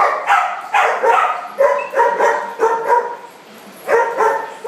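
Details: Playful barking from dogs in a large dog party room: a string of short, punchy barks about one every half second, slightly hoarse and mid-pitched, a short gap, then the barking resumes.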